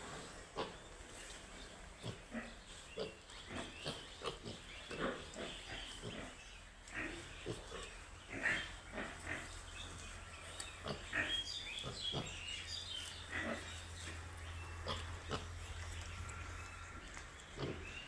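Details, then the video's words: Young piglets produce choppy grunts and thin, higher squeaks in irregular clusters, over a faint steady low hum. "BABY PIG"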